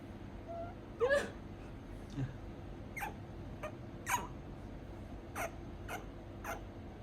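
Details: A pet prairie dog, very attached to its owner, gives sharp, scratchy squeaks in short bursts, fussing in annoyance when picked up to be put to bed after nibbling fingers on her lap.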